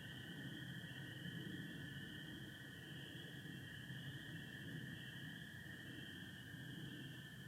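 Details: Spring peepers calling with American toads in Michigan on an April night under stars and partial overcast; a steady high chorus drone with a second continuous lower band, over low rumbling background noise.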